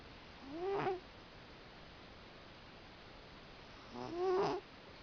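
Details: Cat asleep and snoring, with two drawn-out breaths several seconds apart. Each is a nasal, slightly whistling tone that bends upward and then drops, over a soft steady indoor background.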